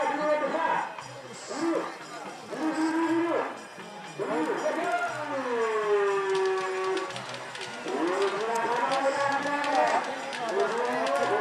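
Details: Cattle at a karapan sapi bull race on Sapudi Island, Madura, East Java, Indonesia, during the third round at Rosong field: several drawn-out, wavering moos rising and falling in pitch, with crowd voices and music behind.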